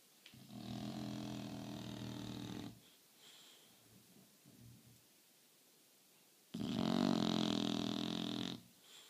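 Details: A sleeping English Bulldog snores very loudly, with long rasping, rattling breaths separated by quiet pauses.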